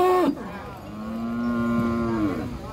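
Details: Giant cattle being unloaded from a truck in Situbondo, Indonesia, one raging and smashing bamboo; a brief high moo breaks into a long, steady, low-pitched bellow of nearly two seconds over background noise.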